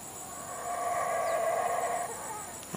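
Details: Howler monkeys in trees near the bush in Belize, Central America, give a distant, drawn-out roaring howl that swells and holds for about two seconds, heard around 7 in the morning.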